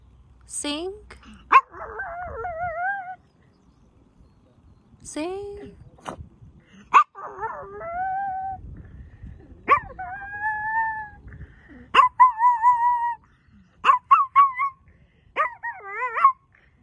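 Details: A tiny male Chihuahua sings on command outdoors among mountains after a long walk, giving a string of thin, high, wavering howls, each one bending up and then sliding down.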